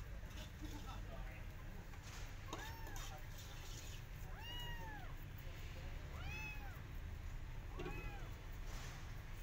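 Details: Persian cat out walking in a garden with her adopted kittens, carefully watching rabbits; four high, arched meows spaced roughly two seconds apart over a steady low rumble of outdoor background noise.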